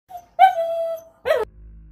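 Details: A Lhasa Apso, in slow motion, gives a short, steady, tuneful howl, then a brief wavering cry that falls in pitch.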